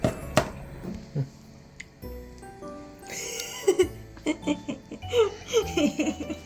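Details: Background music mixes with giggling laughter and voices indoors, with no animal sound heard.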